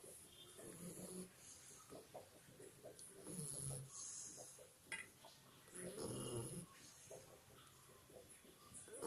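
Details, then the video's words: Sleeping two-month-old Labrador Retriever puppy snoring like a human, slow rough breaths rising and falling a few times over several seconds, low and throaty, amid quiet room noise. "Labrador Puppy Snoring Like Human"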